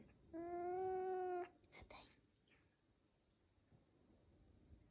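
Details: A pet caracal, a female guarding her favourite chew toy, gives a single clear, level wailing call about one second long, followed by a couple of soft clicks and rustles, then near quiet.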